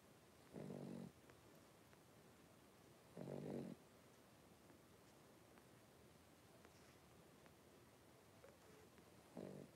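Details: Five three-week-old blenheim Cavalier King Charles Spaniel puppies, born New Year's, in an indoor puppy pen; low rasping snore-like breaths, three bursts about every two to three seconds, with quiet room hiss between.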